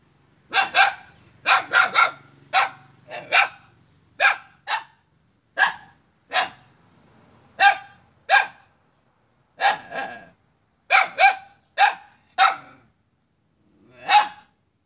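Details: Dog barking at its own neighbour in Kapuas, Central Kalimantan, recorded on a Saturday in August 2017; a long run of about twenty loud barks in irregular pairs and singles, with a faint low hum early on.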